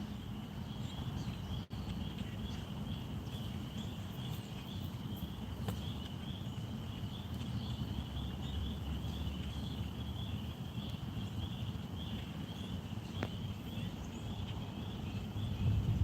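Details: Spring peeper (Pseudacris crucifer), call.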